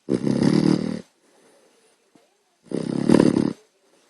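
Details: Sleeping puppy snoring loudly, keeping someone awake: two long, harsh, rasping breaths about a second each, separated by a quiet gap of roughly one and a half seconds, with faint soft rustles between them.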